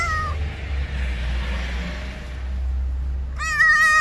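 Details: ['Loud meowing from a stray cat on the street that seems to want to tell something; a meow tail at the start, then a strong, rich, slightly wavering meow near the end over low hum.']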